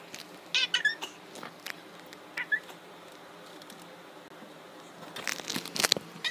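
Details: Pet cat that squeaks instead of meowing: a few short, high, thin squeaks near the start and one brief squeak later, followed by bursts of rustling and patter indoors.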